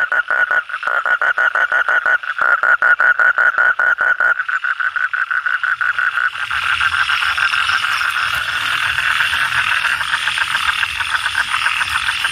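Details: Frogs croaking, the Indonesian kodok or bangkong, with fast rapid-fire pulsed croaks repeated in a steady stream for about four seconds, then a denser, overlapping chorus of many calling frogs blending into a continuous buzzing wash.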